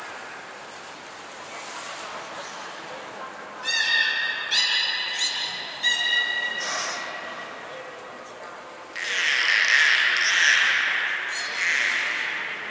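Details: Hodoi, Taanya and Mirai, captive belugas, during a training session on 14 March 2021 at Port of Nagoya Public Aquarium. A run of short harmonic squeals and creaky pulses is followed by a loud broad rushing burst. Crowd chatter and a high whistle are also heard.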